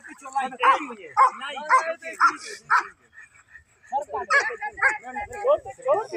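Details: Village dog recorded on 6 May, barking in a run of five sharp, harmonic-rich barks about half a second apart, then a brief lull before a second, looser burst of quicker barks and yips.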